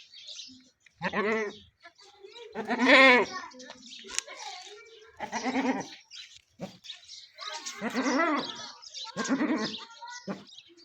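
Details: Goat giving birth to a kid calls out in a series of strained, quavering bleats, each about half a second long, spaced irregularly; human voices and laughter are heard nearby.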